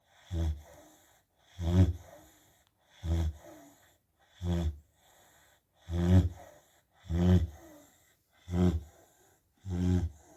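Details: A Rottweiler snores very loudly, deep rumbling breaths repeating roughly every second and a half, while its owner asks it to stop.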